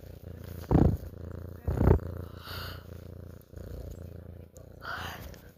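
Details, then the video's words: House cat giving a soft, pulsing low purr, broken by two short loud human yawns early on and quieter breaths afterwards. "my cat purring"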